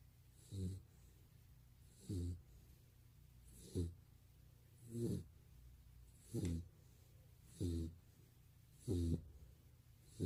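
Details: Golden Retriever named Barney snoring while asleep indoors, filmed two years earlier; deep rasping snores with a low rumble, repeating about every 1.4 seconds in a steady rhythm, eight snores in a quiet room.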